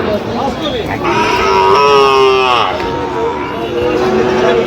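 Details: Sahiwal bull calves at a cattle market in Gaibandha, Bangladesh, on 17 November 2025: one drawn-out, harmonic moo rises, then falls and fades over about a second, with crowd chatter and bargaining voices throughout.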